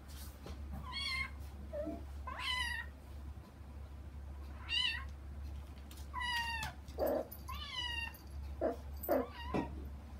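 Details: Two young kittens behind frosted glass, wanting to reach their mother on the other side, give a series of about eight short, bright meows, some rising and some falling, spaced irregularly over ten seconds, with a low background hum.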